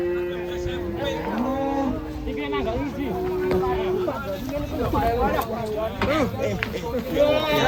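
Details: Cattle pulling a plough: a long, steady, drawn-out moo opens the recording and is followed by another sustained low call partway through, set against background music and overlapping human voices.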